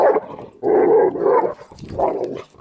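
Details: Dogs playing together at the Animal House daycare, Jade and Ruby wrestling as Ruby takes her down; rough, noisy growl-barks in three bursts across under three seconds, with a quick gap between the first two.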